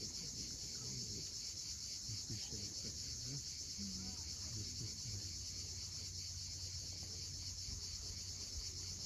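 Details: Cicadas at sunset on the steep coast of Cape Fiolent, Crimea, sending up a steady, high, shimmering drone that never breaks, over a low rumble of waves and a few faint scattered sounds lower down.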